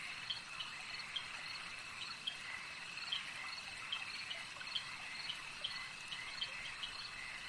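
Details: Frogs calling at a lake: a faint chorus of short, high peeping notes repeated irregularly, some several times a second, over a steady high trilling hum of many callers, with a soft background hiss.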